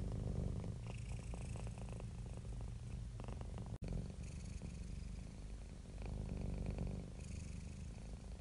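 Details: Contented domestic cat purring happily, a continuous deep vibrating rumble rising and falling in rhythmic breaths, briefly cut off by a short silent gap near the middle before resuming.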